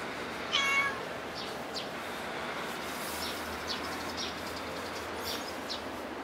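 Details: A cat at Dockyard Garden, early morning on 8 July 2016, gives a single short harmonic meow near the start, then falls silent over a steady background hiss.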